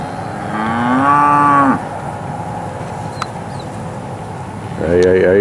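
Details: Steers at AAA Farms, Marianna, Florida, filmed for the AL SAFE sale, August 2013, Moseley Cattle Auction: a long bawling moo rising in pitch, a quiet stretch with a faint click, then another loud moo starting at the end.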